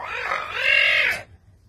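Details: Adolf the caracal, noted as being without his collar, lets out a loud harsh call just over a second long. It is rough and nasal, rising and bending, and ends abruptly, with Russian speech before and after.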